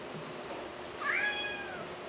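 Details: Cat giving one short, rising-then-falling meow with clear harmonics, over a steady background hiss in an indoor setting.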